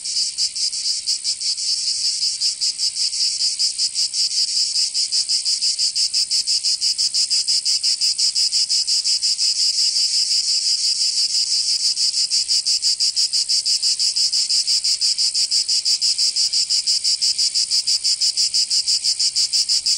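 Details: Summer cicada chorus in Provence, southern France, a dense high-pitched rasping buzz throbbing rapidly and evenly for the whole stretch, steady in loudness, nothing else audible.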